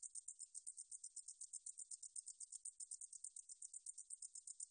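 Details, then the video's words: Katydid (Korean 등줄어리쌕쌔기) from Korea's National Institute of Biological Resources, 2020: a high, dry buzzing pulse repeated about six times a second, steady and unbroken, with no other sounds. "등줄어리쌕쌔기, 여러번 듣기, 곤충소리"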